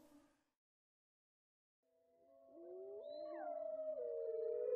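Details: Gray wolf howl: a brief sound, then silence, then several overlapping howling voices that slide up and waver, growing louder toward the end.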